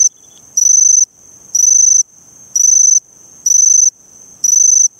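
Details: Eurepella cricket from Eighty Mile Beach, Western Australia, giving longer half-second bursts of piercing, buzzy trill about once a second, with a faint continuous high tone between bursts.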